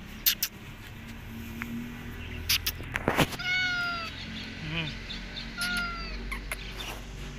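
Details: Mother cat slipping away when followed as she heads back to her kittens; a few drawn-out, falling meows, one at mid-clip and another near the end, with rustling, thumps and low background hum.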